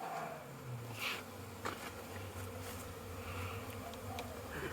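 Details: Honey bees on orientation flights around a very busy hive on 22/09/2022, many bees inside and outside; a low, steady droning hum with individual bees whining past, their passes rising and fading.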